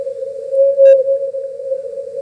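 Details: Blue whale song recorded off the Grand Banks of Canada, originally about 10-20 Hz, sped up thirty times and heard as a steady, unwavering mid-pitched hum; such song may carry 3,000 miles.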